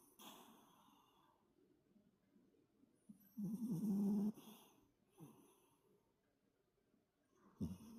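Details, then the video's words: Toy poodle Toto asleep after play, snoring heavily: a quiet stretch of soft breathing, then one loud buzzy snore of about a second, a fainter snort, and a sharp snort at the end. "토이푸들- 코골이가 심한 귀여운 강아지 토토"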